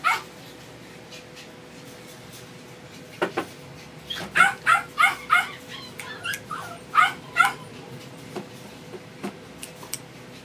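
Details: Male Doberman pup kept in a pet shop: scattered knocks at first, then a cluster of piercing yips about three per second, tapering into softer, irregular yelps and quiet background.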